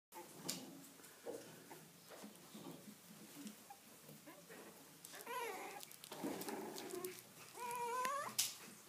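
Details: Poochon puppies indoors, quiet room with soft rustling, then a few short wavering whimpers midway and a higher, rising whine near the end.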